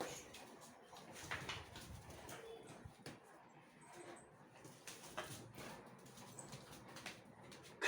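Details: Pet dogs Laddu and Mojo play-fighting; low, rough growls and scrambling bursts run through the recording at an uneven pace, with quiet human voices in the background.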